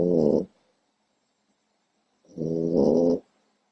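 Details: Four-month-old female French Bulldog puppy asleep, snoring loudly: two harsh, rasping, harmonic breaths, a short one then a longer one about two seconds later, with silence between.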